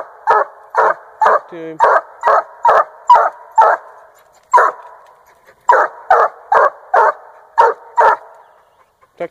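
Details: Hunting Treeing Walker Coonhound, 1.5 years old, treeing a raccoon in Northern Missouri; rapid rhythmic barking with a short pause midway, a faint whine early on, and barks tapering to quiet at the end.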